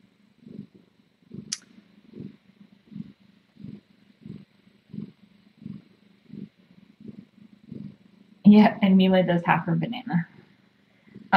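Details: Late-night purring of a cat at the Tiny Kittens Society rescue, caught on a live-stream nest cam: steady low rumbling pulses roughly every two thirds of a second for eight seconds, then a person's voice speaking over it.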